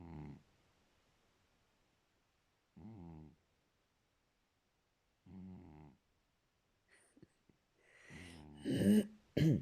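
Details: Snoring from a sleeping cat: three low, buzzy snores spaced about two and a half seconds apart, followed by louder rustling and sharper breathy noises near the end.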